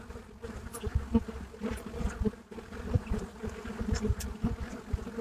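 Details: Many Buckfast honeybees at a hive entrance in Brittany, France, giving a dense steady hum with distinct harmonic bands and repeated sharper buzzes from bees darting past.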